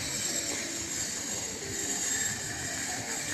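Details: Steady broadband rushing noise, like a passing train or traffic, fills the whole stretch with no animal voice.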